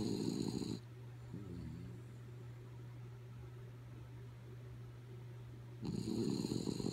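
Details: Kaya Boo, a sleeping dog, gives two rasping snores, one at the start and one near the end, separated by about five seconds of quiet; a steady low electrical hum runs underneath.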